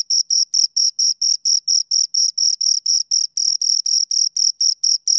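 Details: Two crickets stridulating in a fast, regular series of shrill pulses, about four per second, steady in pitch and volume, against a silent background.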